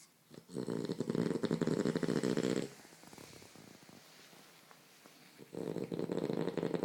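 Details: A French Bulldog sleeping cuddled in a blanket indoors snores in two long, loud, raspy bursts, each roughly two seconds of rattling, pulsed breath, separated by a quiet pause of soft breathing.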